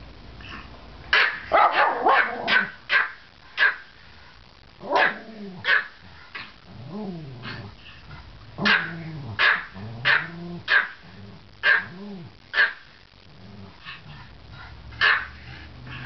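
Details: Two Pomeranian "twins", Jake and Bennie, in a barking contest: sharp yapping barks, a dense overlapping flurry at first, then spaced single barks and short whiny, arching yelps every second or so, with quiet gaps between.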